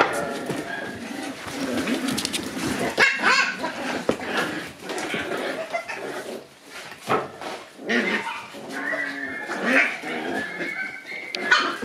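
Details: Shiba Inu dogs playing boisterously at daycare just after drop-off: sharp barks burst out amid whimpers and squeals, with steady scrambling paws and knocking noises throughout and brief quieter lulls.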